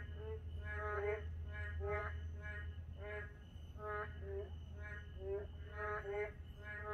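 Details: Narrow-mouthed toads calling late at night in a park under quiet moonlight. Nasal, harmonic croaks follow one another about every second from several overlapping callers. A steady high whine and a low hum run underneath.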